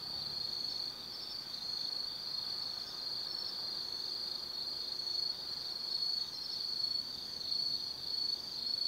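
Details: Night chorus of autumn forest insects at Tsukimi no Mori in Kaizu, Gifu, Japan, overlooking the lights of the Nobi Plain; an unbroken shrill ringing trill held throughout, gently swelling and fading, with nothing else heard.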